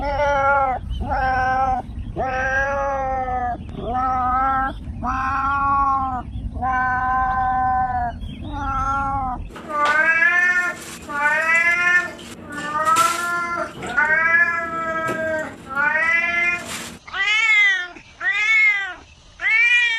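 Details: Domestic cats meowing in a long series of harmonic, arching meows, about one per second; the first half carries a low background rumble, and the last few calls are shorter and sharply bent.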